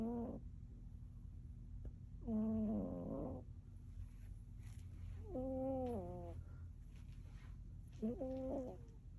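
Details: A chonky pet cat named Persephone snoring: four drawn-out, voiced, moan-like breaths with rich harmonics, each lasting under a second and spaced roughly three seconds apart, over a quiet room hum.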